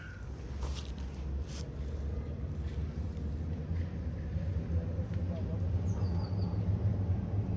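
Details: Affectionate stray street cat in Istanbul purring while being petted and cuddled by a person it has just met; a steady, low rumbling purr runs throughout, with a brief thin chirp of a bird near the end.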